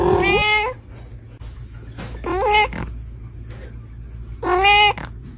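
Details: Reebonz Cattery kittens, British Shorthair breed: three brief, bright meows a couple of seconds apart, with a steady high whine and low hum in the background.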